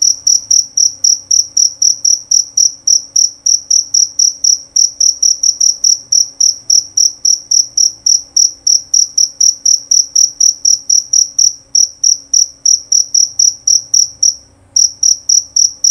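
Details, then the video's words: Male jerabang cricket giving a loud, clear, high-pitched chirp, short pulses repeated rapidly and steadily about four times a second, broken by one brief pause near the end, over a faint low hum. "Bunyi Suara Jangkrik Jerabang Nyaring dan Jernih"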